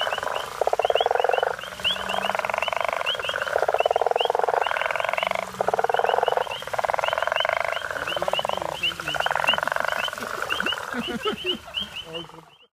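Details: Guttural toads on safari near Hazyview, several overlapping pulsed snoring calls forming a steady drone, thinning out toward the end, with high ticking chirps above.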